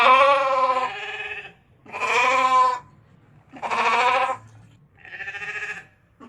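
A ram bleats four times, each a harsh, wavering baa lasting about a second.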